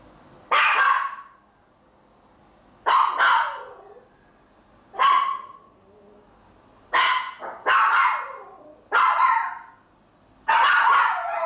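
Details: Maltese dogs left alone at home barking: six loud, broadband barks or short double barks, spaced about two seconds apart, with quiet gaps between them.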